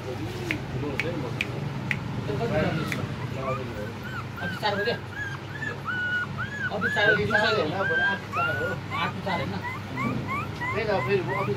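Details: Long-haired German Shepherd puppies whimpering and yipping: many short, high, arched whines overlapping in quick succession throughout, several puppies calling at once, with low human voices talking underneath.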